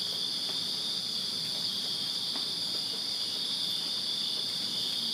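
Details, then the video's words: Crickets chirping on a summer night in a Virginia backyard; a steady, continuous high-pitched trilling chorus of many insects with bright bands near 4 and 5 kilohertz, unbroken throughout, with faint scattered clicks below. "Crickets Chirping Summer Night in Virginia"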